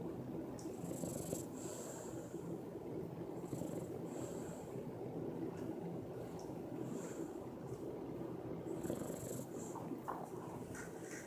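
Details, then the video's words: Peanut the Bulldog snoring very loudly while asleep: a steady, rough, low rumble under soft hissy breaths that swell roughly every two to three seconds, with no other sounds heard. "LOUD snoring Bulldog"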